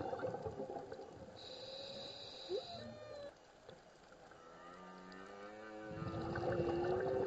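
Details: Whale song heard underwater during a scuba dive: drawn-out moaning tones with stacked harmonics, a steady high whine early on, then a run of rising, wavering moans that swell louder toward the end over soft water noise.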